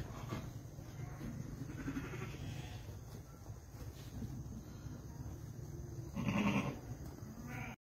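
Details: Young Dorper rams, with a faint brief bleat early on and then one clearer, slightly quavering bleat near the end, over constant low-pitched background rumble and hiss.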